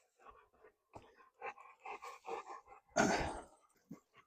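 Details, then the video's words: Delta Dawn, a dog, sneezing: a run of soft snuffling puffs, then one loud, sharp, explosive burst lasting about half a second, fading into brief quiet snorts. "Delta Dawn Stop Sneezing"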